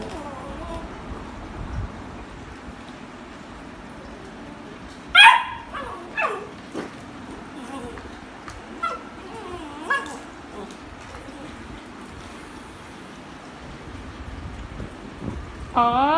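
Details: A beagle, a very vocal breed, vocalising during play with toys: scattered high whining yips that bend up and down, spaced a few seconds apart, over a quiet indoor background.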